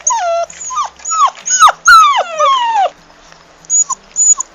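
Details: A puppy crying: repeated high whines that slide downward, several in quick succession, then a pause and two short soft yelps, with a faint low hum underneath.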